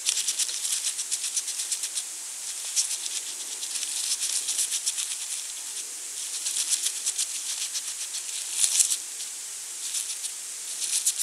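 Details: Foraging European hedgehog at night in autumn by a small pond and bird feeder in rural central France, 23 November 2020, feeding on small slugs; steady rapid crackling and rustling pulses with louder clusters near the end, over soft hiss.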